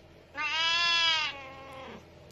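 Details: A Havana Brown cat, indoors with its owner chatting to it, gives one clear, bright, slightly nasal meow lasting about a second, level in pitch, then quiet.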